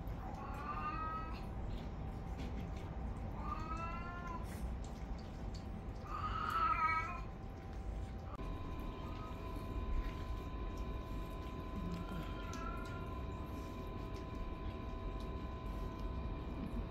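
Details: Indoor cats from a home with young and elderly cats, at mealtime with meat on offer. Three separate meows come a few seconds apart, the third louder and rougher, followed by a steady electrical-sounding hum with a few faint cat sounds.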